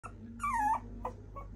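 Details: A female Toy Poodle gives a short, high whine that slides downward over about a third of a second, then two faint, brief yelps follow over a low, steady background hum.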